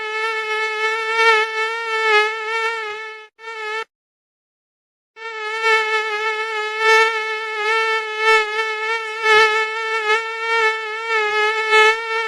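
A mosquito's thin, steady, high-pitched whine, wavering slightly in pitch, with a brief silent gap.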